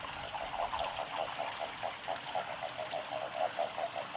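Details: Japanese common toad at a nature observation garden of a nature conservation centre, recorded 19 March 2022, gives a steady series of low, soft clucking notes, about five per second.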